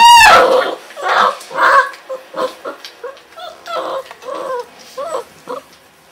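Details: Weimaraner puppies at 30 days old, a litter from Kiss and Quest, indoors on 6 December 2012: one loud, high, falling whine, then a string of shorter whimpering yelps at about two per second, fading.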